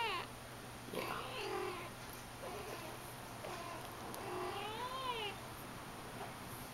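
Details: Persian kitten named India, four to five weeks old, described as having an attitude; thin, high kitten mews, soft and short early on, then one clear rising-and-falling meow near the end over a quiet, faintly hissing room background.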